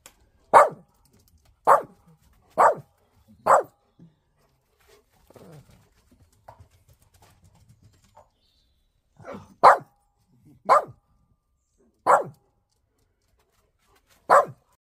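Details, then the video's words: Annoyed Shih Tzu barking while a German Shepherd plays nearby indoors: sharp single barks at roughly one-second intervals, four in a row, a pause with soft scuffling and growly noises, then four more spaced barks. "GERMAN SHEPHERD PLAYING WHILE ANNOYED SHIH TZU BARKS"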